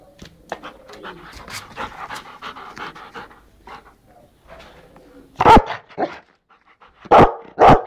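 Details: Rottweiler in India panting steadily, then several loud, sharp barks near the end, with a man's voice urging it on.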